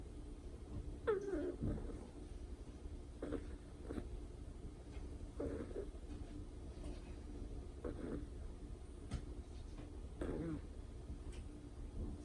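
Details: Moko, a white and cream Chihuahua puppy about two months old, asleep and snoring: soft, rasping breaths recurring roughly every two seconds in a quiet indoor room with faint background hum.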